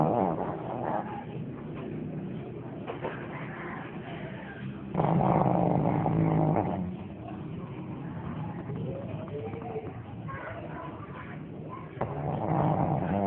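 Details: Shih Tzu. A Shih Tzu snores in its sleep, each breath a low, rattling rumble with some much louder and longer than the rest. Faint murmuring, like distant voices, sits underneath.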